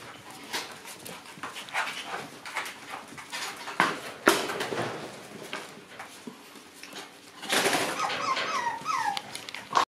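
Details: During a battle between two white Shiba Inu brothers, scattered soft yips and scuffling give way to a loud burst of high, wavering whines near the end.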